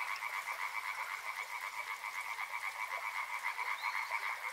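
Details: Dense frog chorus near flowing river water: rapid pulsed croaking swells and fades in quick beats at two steady pitches. A faint higher sliding note appears near the end.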